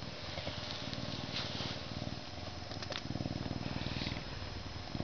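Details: A Canada lynx gives a low, throaty purr, a continuous vibrating rumble of rapid low pulses that swells and dips with each breath. A faint hiss of background noise runs underneath.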